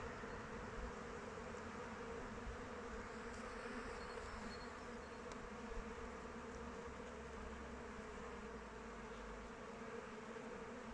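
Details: Many honey bees in flight around a hive in open weather: continuous layered buzzing hum holding steady for the whole stretch, with faint brief higher chirps near the middle and a low droning undertone.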